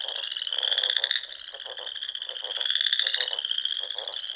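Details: Spring frog chorus from the Sandhills of Nebraska at dusk: a steady shrill trill over many overlapping callers, with short low rattling pulses breaking in, roughly twice a second.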